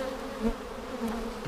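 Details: Honey bees at a hive seven days after a vertical split with a double screen divider board, March 10, 2019, during an inspection for queen cells. A steady low droning hum with layered tones, briefly swelling twice.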